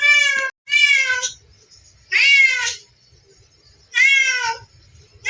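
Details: Cat playing with a mouse, uttering long drawn-out meows, each about half a second or more, slightly falling at the end, separated by gaps of roughly one and a half seconds in a quiet room.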